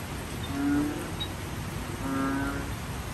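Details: Banded bullfrog calling on a rainy night; two low, droning, moaning notes, each lasting about a third of a second and spaced roughly one and a half seconds apart, over a steady hiss of rain.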